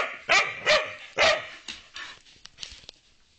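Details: A dog that barks rarely, usually when wanting to play with another dog at home; three loud, harmonic barks about half a second apart, then softer yelps and whimpers fading out.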